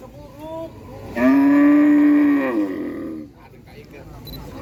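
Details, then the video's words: A single long cow moo lasting about two seconds, steady and harmonic, ending with a slight downward slide, preceded by a faint shorter call and followed by quiet background. "SUARA SAPI MOOOO 3 MENIT COW SOUND EFFECT MOOO 3 MINUTES , SUARA SAPI ASLI"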